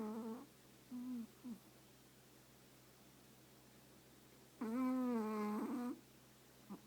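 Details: Chihuahua napping while burrowed into its owner's lap, snoring indoors: a few brief tonal snores at the start, then one long whistly, slightly wavering snore lasting over a second, with a low steady room hum beneath.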